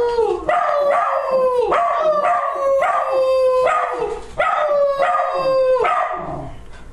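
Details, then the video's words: Max, a pet dog, howling in a series of falling, wavering tones, each long note sliding down from high to lower pitch and repeated about every second, with rich harmonics. "Max Howling"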